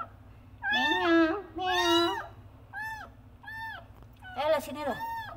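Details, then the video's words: Kitten calling its mother with loud meows while a woman talks and coos to it; clear short arched meows come between her words near the end. "Anak Kucing Frangky Mengeong Dengan Keras Memanggil ibu kucing"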